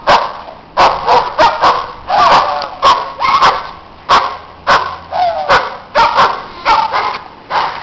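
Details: Loud neighbourhood dogs barking during snowy outdoor play, a rapid irregular volley of short sharp barks, about two per second at times, with overlapping voices and a faint background hiss.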